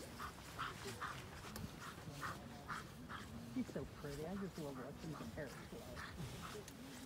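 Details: A German Shepherd barks in quick, steady bursts, about two a second, during an IGP1 protection phase at a winter working-dog trial in Kansas, 7 December 2019, while people's voices and shouts carry over the top.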